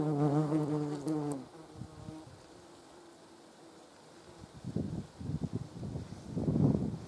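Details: German wasp (yellow jacket) at a jar of jam: a strong, even, harmonically rich buzz from a wasp hovering close for over a second, then quiet, then renewed rough buzzing bursts as wasps fly near again.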